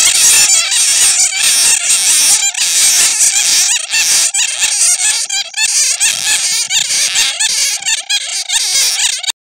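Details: Bats recorded from a netting catch, used as a lure sound to attract bats: a dense, continuous chorus of high-pitched squeaks and chirps from many animals overlapping, with no pauses and a constant bright hiss.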